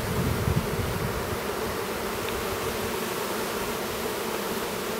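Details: Steady hive hum from honey bees near Duluth, Minnesota, while a new drone chews open his cell, opening with a few low thuds before settling into an even, low buzzing drone.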